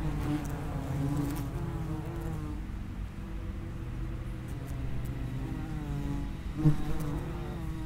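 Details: Common wasps at the entrance of an underground nest: a low, steady droning hum with overlapping harmonic buzzes that waver in pitch as insects come and go, with a brief louder pass near the end.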